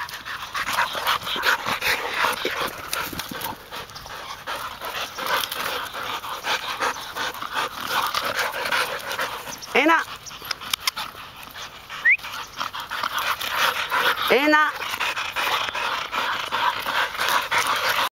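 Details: Golden Retriever among three sisters, including a one-year-old, retrieving on 2010-9-29. Continuous quick, breathy panting, with people talking and a few short rising whistles partway through.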